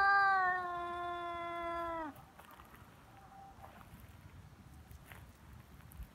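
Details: A feral cat's threat during a Cat Day fight on February 22 in Japan: one loud, steady, harmonic yowl held for about two seconds that dips at the end, then near silence with faint rustles.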